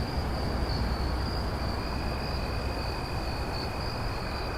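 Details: Crickets at night: a steady, unbroken high-pitched trill runs throughout, with a fainter lower trill beneath, over a heavy low rumble of background noise.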